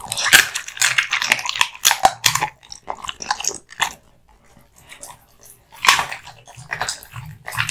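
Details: Male American Bully Kotetsu chewing hung raw meat and bones: loud splintering crunches in rapid bursts, a near-silent lull of about two seconds, then a fresh round of sharp bites and wet chewing.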